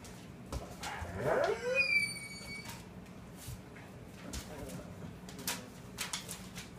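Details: Vizsla mother playing with her four-week-old pups indoors; a high squealing whine rises and falls near the start, followed by scattered soft scuffling and bumping sounds of play.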